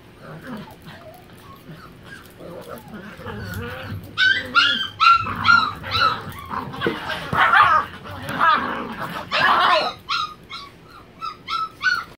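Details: Three Miniature Pinschers tussling in a living room during play wrestling, starting with soft growls, then bursting into sharp high yips, whines and short barks that come in excited, irregular runs, with some human speech.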